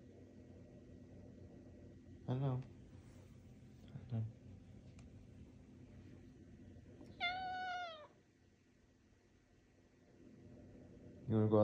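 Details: Talkative male cat indoors, conversing with its owner about his day: one bright, slightly rising then falling meow in the middle, surrounded by short spoken words from the owner and a low room hum.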